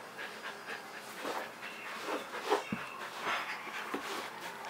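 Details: Kerry Blue Terrier Leroy, a pet eager to play, breathing in irregular breathy puffs, with one sharper louder huff near the middle and faint squeaky whimper-like tones.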